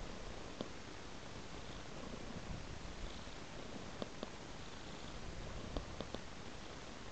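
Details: Domestic cat lying on a soft blanket, purring in a low, steady, continuous rumble, with a few faint clicks and soft rustles from movement in a quiet indoor setting.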